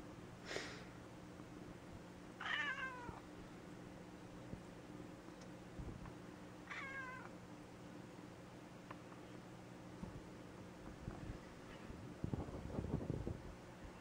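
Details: Gray tabby cat named Mouse, recovering after polyp-removal surgery, meowing indoors: two clear, slightly falling meows a few seconds apart, with soft rustling and low household hum in between.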